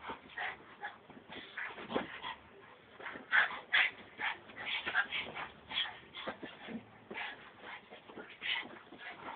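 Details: Frankie, a Brussels Griffon dog, acting wild: a busy run of high whimpers and short yips, irregular and rapid throughout, with scuffling noise between calls.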